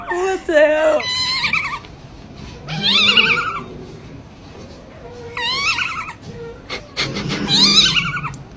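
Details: Kitten meowing in a series of high, wavering, drawn-out cries, about five separate calls with pauses between, the pitch bending up and down within each; quieter low voices and background noise between calls.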